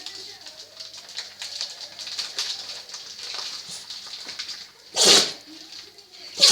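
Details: French Bulldog that cannot stop sneezing: several seconds of soft snuffly nasal breathing, then two sharp, explosive, hissing sneezes about one and a half seconds apart at the end.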